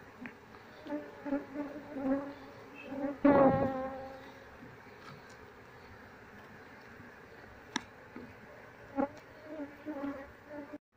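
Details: Honey bee colony being moved into a cardboard box from a house where it had nested for three days, a steady buzzing hum with layered overtones, swelling briefly midway, with occasional knocks and handling sounds.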